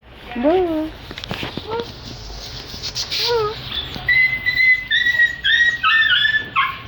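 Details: Puppy in Delhi making cute noises: short wavering whines that rise and then fall, repeated three times. These are followed by a quick run of high, squeaky chirps. People talk in the background.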